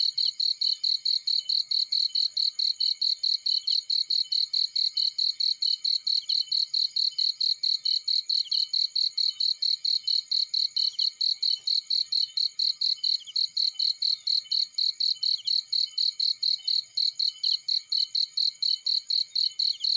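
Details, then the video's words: Continuous cricket song from a field: very fast, tightly spaced high-pitched pulses running unbroken and evenly throughout. "Warm Relaxing Fireplace In Field || Burning with Cricket Sounds"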